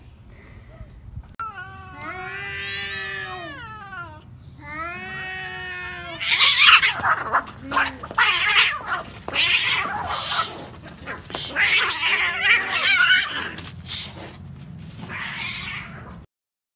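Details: Two pet domestic cats fighting: long wavering caterwauls rising and falling in pitch, then an explosive burst of harsh hisses, spits and screeches from about six seconds on, continuing in rough noisy bursts until the end.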